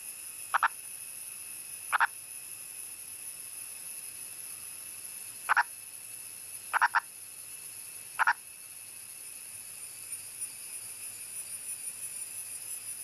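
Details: Indian purple frog, a wild male in the Western Ghats of India, calling above ground: five brief bursts of one or two sharp clucks at uneven intervals, then quiet for the final seconds, a constant thin high tone behind.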